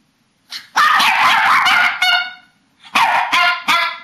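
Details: Group of papillon and shih-tzu dogs 'talking' at bedtime, March 2007: a sustained, high, quavering yowl with rich harmonics, a short pause, then three more sharp, whiny howl bursts.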